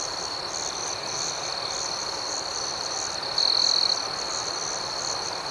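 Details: Night crickets chirping in a steady chorus: a high, unbroken ringing trill with rhythmic pulsing above it, and one louder, sharper burst of chirping midway through that lasts about half a second.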